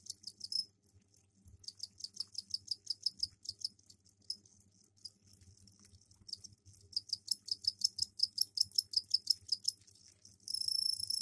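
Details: Mating calls of captive crickets housed in a container with egg-laying soil; rapid runs of high, sharp pulses repeated about two to three times a second, broken by short gaps, ending in a steady ringing trill.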